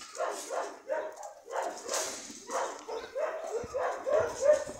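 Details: Dog barking in quick, uneven bursts of short yaps, roughly three per second, with a few higher whiny notes near the end and a faint hiss in the background.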